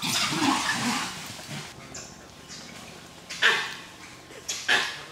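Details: Langur monkeys give harsh, noisy shrieks and squabbling chatter during a fight.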